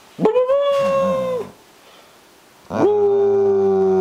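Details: Female German Shepherd howling indoors: a short rising-then-level howl, a gap of about a second of quiet, then another sustained, steady howl with strong harmonics.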